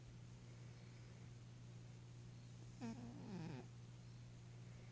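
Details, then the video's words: Sleeping 11-year-old female Maine Coon cat, dreaming, gives a pair of quick snoring breaths with a squeaky, falling voiced tone, then quiet; a constant low hum runs throughout. "Maine Coon Snoring and Dreaming"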